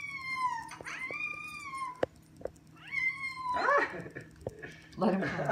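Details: Domestic cat in a funny pet compilation, meowing indoors: two long drawn-out meows that rise then level off and fall slightly, a pause, then a shorter meow, followed by people talking over it.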